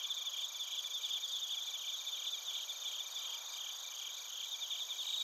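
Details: Chorus of bell crickets and crickets in Narita, Chiba, Japan, captured on a TASCAM Portacapture X8; continuous overlapping high chirps and trills layered in several pitch bands, even and unbroken throughout.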